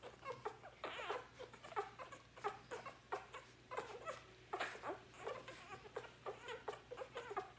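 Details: Hungry Labrador Retriever puppies nursing from Sadie at an afternoon feed on day 4, indoors; rapid irregular squeaks and whimpers, about one and a half per second, mixed with suckling noises.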